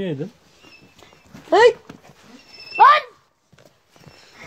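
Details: Kangal puppies in a village giving two short, sharp, sliding yelps about a second apart, with quiet pauses between and human speech at the start.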